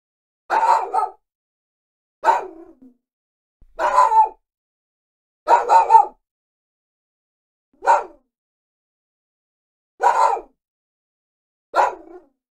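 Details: Small dog barking: seven short, sharp barks spaced one to two seconds apart, some doubled or stuttered, against a silent background.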